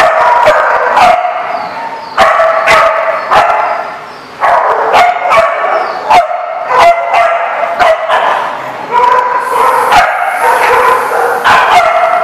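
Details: Dogs at The Barking Lot, Rhode Island, on 24 January 2014, in a loud continuous barking chorus. Repeated clipped barks and high yips overlap throughout, with a brief lull near the four-second mark.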